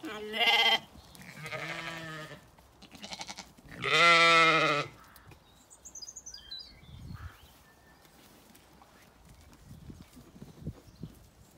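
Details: Zwartbles ewes on a farm in County Kilkenny, Ireland, calling at feeding time on a sunny day in an orchard; loud harmonic bleats near the start and a long wavering bleat at four seconds, then quieter rustling and faint birdsong.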